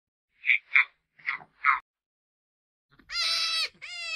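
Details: Hare, or jackrabbit of the genus Lepus: four short breathy squeaks in quick succession, a brief pause, then two drawn-out, strongly harmonic, high whining squeals, the second slightly shorter; no other sounds.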